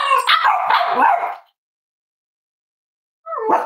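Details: Cavalier King Charles Spaniel puppies cuddling together at home on a warm Friday morning give a long wavering, harmonic whining yelp lasting over a second, a quiet gap, then another rising yelp.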